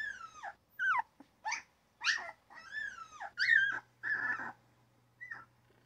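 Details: Little squeaks, almost chirps, from a newborn puppy: arched, whining cries with falling pitch, a few longer drawn-out whimpers, over a faint low hum.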